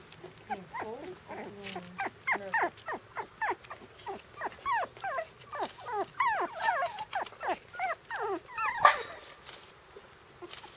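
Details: Several 4-week-old Shiba Inu puppies on their first trip outdoors, possibly cold, call almost without pause: short, high whines sliding downward and little yelps overlapping into a busy, squeaky chorus over a faint low hum.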